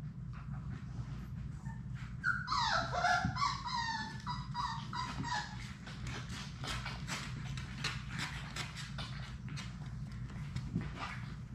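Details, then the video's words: Six Labrador Retriever puppies, Sadie's litter, at play in an indoor puppy play room; a burst of high, wavering whines and yips around two to four seconds, then scuffling, clicking paws and faint squeaks under a steady low hum. "Labrador puppies at play!"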